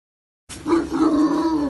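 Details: Bloodhound in a loud, frantic play session with another bloodhound, giving one sustained, steady, harmonic bay or howl lasting just over a second, with no other sounds around it.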